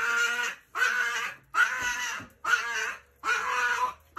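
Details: Chihuahua greeting its returning owner with strained, piercing screams, five long harsh cries in four seconds, each sustained about half a second and separated by short pauses, indoors in a small room.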